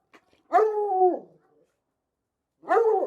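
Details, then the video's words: Dog barking recorded in a studio: two long, drawn-out barks with a slight downward fall, about two seconds apart, in otherwise quiet surroundings. "Sound Effect of Barking Dogs"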